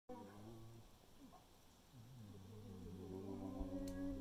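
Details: Bears at a bait site in Manitoba in spring 2021 vocalize to each other with low, drawn-out moaning groans of wavering, bending pitch.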